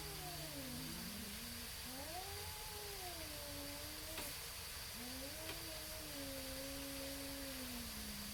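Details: Neighborhood cats in a standoff, stalling a fight: drawn-out moaning howls that slowly bend up and down, one sliding low then climbing, with two brief clicks and constant background hiss.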